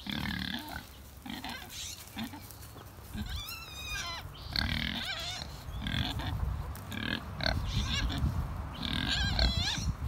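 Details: Backyard Kunekune pigs grunting their way to breakfast at feeding time. Rapid, uneven runs of low, gruff grunts are broken by short, wavering high squeals, with several animals calling at once.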